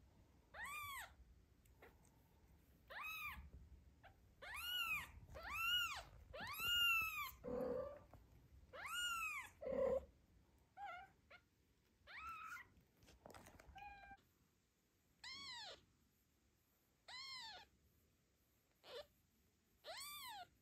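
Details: Postpartum mother cat Zlata, anxious for her newborn kitten's safety around two other cats on an afternoon outing; a long run of arched, rising-falling meows, roughly one per second, with a few lower, flatter cries mixed in.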